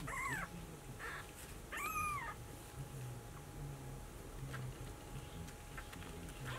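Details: Searching for its mother, a brown Maine Coon kitten bred in Tokyo gives two clear, arched, high-pitched meows in the opening seconds, then only soft room noise and faint clicks follow.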